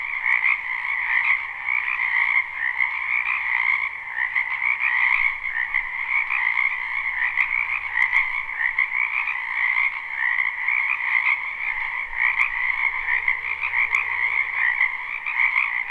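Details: Frogs croaking together in a spring wetland behind a house, live recording: a steady, thick trilling chorus throbs without pause, with occasional faint clicks and a low distant rumble underneath.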